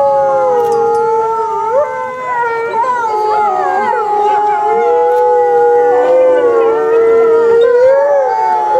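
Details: Chorus of gray wolves howling at Asahiyama Zoo on 29 May 2014 during the 16:30 announcement: several overlapping sustained tones, wavering and sliding up and down, with loud continuous layered voices throughout.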